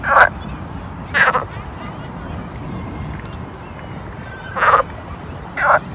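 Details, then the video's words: A frog at a pond in summer gives short, loud, nasal croaks at irregular intervals over a steady low hum. "[ASMR] Summer Ambience Pond Frog Sound"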